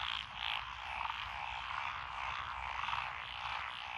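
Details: Frogs calling together in lotus rice paddies on a countryside road, Echizen City, Fukui, Japan, on 12 June 2021, including tree frogs and pond frogs. Dense chorus with a few louder nearby croaks pulsing through the steady background.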